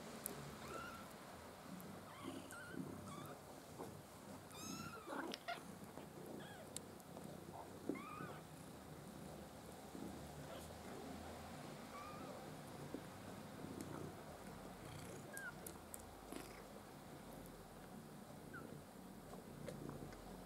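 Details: Five Maine Coon kittens, black-and-white and blue-and-white, from a litter born 6 August 2015 at a breeder's, give short high thin mews that arch up and down, scattered and sometimes overlapping, over steady rustling and handling noise.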